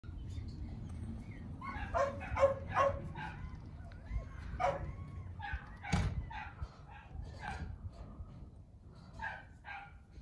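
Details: Goldendoodle, mother a Golden Retriever and father a Standard Poodle, giving a run of short barks and yips between about two and three seconds, then scattered single barks and whines over a low background rumble.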